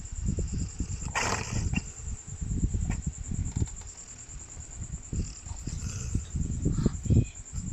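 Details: Tofee the dog sleeping and snoring at 11PM, the snores likened to a horse: low, rough, rumbling breaths repeating irregularly, with a steady high electrical whine throughout.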